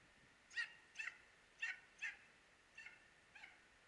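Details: Dachshund hunting hare in Norrland, Sweden, giving a series of six sharp, fairly high barks spaced about half a second to a second apart, with quiet background between them.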